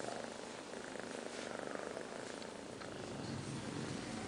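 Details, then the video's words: Two sleeping five-month-old kittens snoring: a soft, steady, breathy rasp with fast, faint pulsing that runs at an even low level throughout. "Kittens 5 months - Liz and Taby (snoring)"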